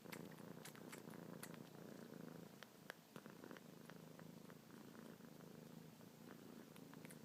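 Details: Luna, a young pet kitten, purrs continuously as she suckles the tips of a pinky and ring finger, paws moving; even low purr underneath repeated sharp little sucking and lip clicks.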